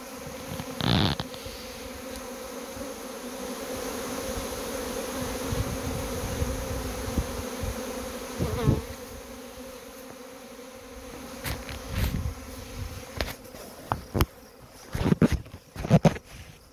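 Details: Honey bees in a swarm being collected, a constant buzzing hum broken by repeated sharp knocks and thuds from handling.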